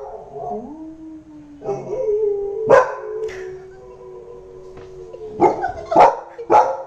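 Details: Shadow, a Labrador Retriever puppy kept as a family pet, gives a drawn-out whine followed by a few sharp barks near the end, over steady background music.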